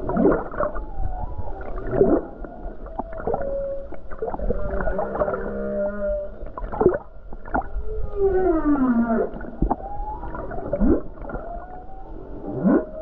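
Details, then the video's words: Singing humpback whale near the coast of Hawaii on a calm day among numerous whales; a varied sequence of rising whoops, steady tonal hums, descending harmonic cries and sharp pulses, over constant low underwater rumble. "Beautiful Humpback Whale Song near Hawaii Coast"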